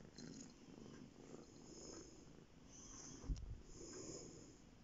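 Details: Indoors on a bed, a male domestic cat purrs: a steady low rumble rising and falling with each breath, one sharp click near the end.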